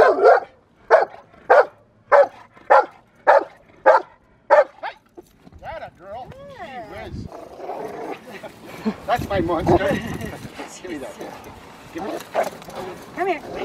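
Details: Rottweiler Magda vd Fehn Kolonie, BH, in protection training: a steady series of eight loud barks evenly spaced about every two thirds of a second, followed by people talking with some faint barking beneath.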